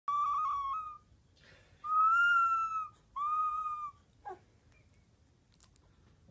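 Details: A 3-week-old Alaskan Malamute puppy gives its first howl while being taught to howl, thin and whistly, three drawn-out notes in a row.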